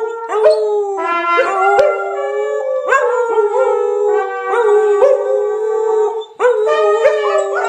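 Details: Samoyeds howling along to 'Happy Birthday': sustained harmonic howls with rising onsets, several voices overlapping in long held tones that restart roughly every one to two seconds.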